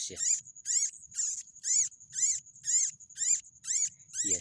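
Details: Squeaking baby rats, noted as pests of farm fields. Sharp, high, harmonic chirps come in a regular series of about nine calls over four seconds, each bending in pitch, with a constant shrill tone behind them and a brief low thump at the start and end.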